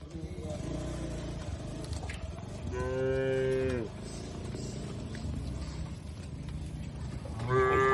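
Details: Grazing cattle in an open oil palm plantation, Indonesia: one clear moo of about a second, steady then sagging at the close, rises above a constant noisy rumble, with the start of another moo at the very end.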